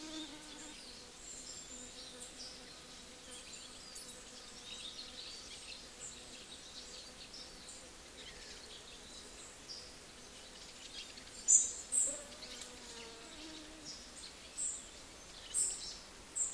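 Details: Several small bees feeding in the morning, their breakfast: a faint, steady low drone with slowly wavering pitch and soft overtones, running throughout over a high hiss, with a few brief sharp ticks and chirps near the end.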